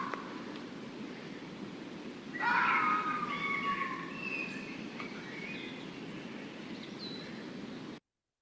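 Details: Red fox (Vulpes vulpes) gives a sudden, shrill, hoarse, blood-curdling scream that slides downward. Foxes use this scream to defend territory and call to each other at night, especially in the January–March mating season.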